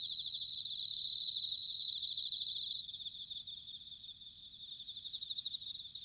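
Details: Bell cricket singing in autumn, recorded in Sanuki, Chiba, Japan: two loud, bright ringing trills near 4k, held about two seconds each, over a dense, steady chorus of pulsing insect songs, then the chorus alone.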